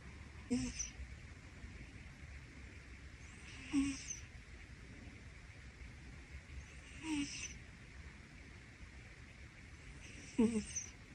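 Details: Rescued Scottish Fold named Pino sleeping with his head on his owner's upper arm as a pillow, snoring steadily: a hissy breath roughly every three seconds, each ending in a brief low squeaky catch, in a quiet room.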